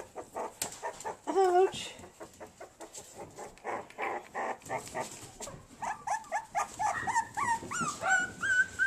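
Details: Puppies, two Havanese and one bolonka, give short repeated yelps and high wavering whines that rise and fall, growing more frequent and drawn-out toward the end, while a person talks to them in between.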